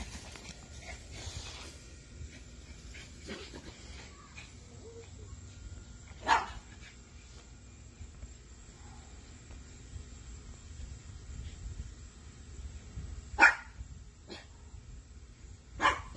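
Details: Playful Miniature Dachshund puppies giving three short, sharp yaps spaced several seconds apart, near 6, 13 and 16 seconds, with faint room noise and quiet shuffling in between.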